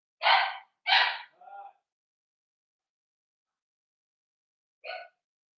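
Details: Puppy pen with Daisy's five-week-old Cavalier King Charles Spaniel puppies: two quick yapping barks, then a softer squeaky yelp, a long pause and one more short yip.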